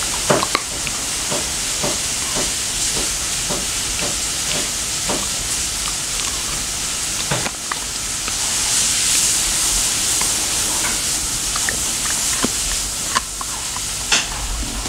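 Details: Dental chew being crunched by a Labradoodle called Mei: sharp, evenly spaced bites roughly every half second, then a pause and sparser gnawing clicks, all over a steady background hiss indoors.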